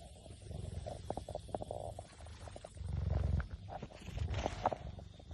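A cheetah purrs in a deep, continuous rumble that pulses steadily with each breath.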